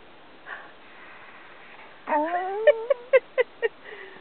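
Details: Australian Cattle Dog Robbie, being taught to speak on command and given encouragement, opens with a soft sniff. Then comes a long rising whine that breaks into five quick, evenly spaced yips, ending in a faint low murmur.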